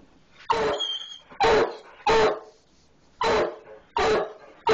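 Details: A hound named Biscuit barking at a skunk hidden in a barn wall; five loud, harsh barks spaced about a second apart, with a faint high whistling chirp between the first two.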